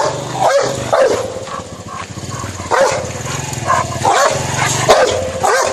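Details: Rottweiler attacking a man in India, barking in short harsh bursts roughly once a second over a low steady hum and background noise.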